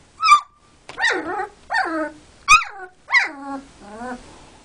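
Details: Male Border Collie puppy, three and a half weeks old, kept indoors in a box with his sisters, vocalising because he wants to play while they sleep: sharp short yelps alternating with descending whines, about six calls.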